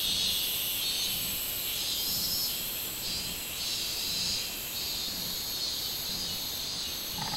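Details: Robust cicada chorus on 24 July 2016, an intense high whirring carpet with swelling pulses about every second and a faint low tone right at the end.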